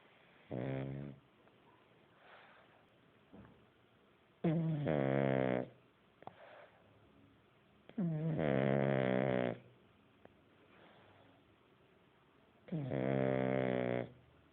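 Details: Buddy, a sleeping pug, snoring hard indoors: four loud, rasping snores with buzzy layered tones, each lasting about a second, coming roughly every four seconds with quieter breathing in between.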